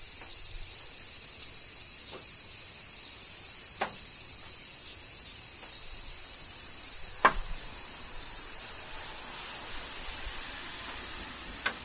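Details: Cicadas keep up a seamless high-pitched buzz in Kyoto, Japan, under summer rain, punctuated by several scattered sharp drip-like clicks, one notably louder.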